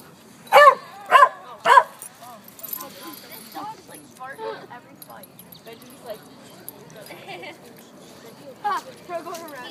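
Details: Monkey, a red Doberman puppy, play fighting at the High Park dog park in Toronto: three loud, sharp barks in quick succession, about half a second apart, at the start, followed by people talking and faint yips in the background.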